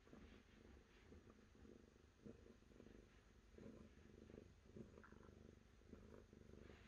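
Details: Faint purring from a cat: a low, throbbing rumble pulsing roughly once a second, partly buried in steady background hiss.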